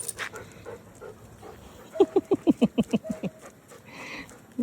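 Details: Belgian Malinois, the dogs Luna and Dax: a quick run of about eight short, falling yelps two seconds in, evenly spaced and sharp, with low household rumble before and a brief human voice at the end.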